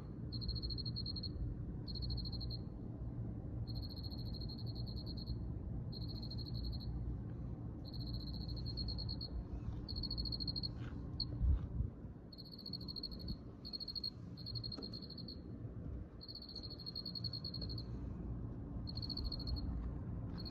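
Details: Cricket chirping in high, pulsed bursts about a second long, separated by short gaps and repeating steadily, over a constant low rumbling background.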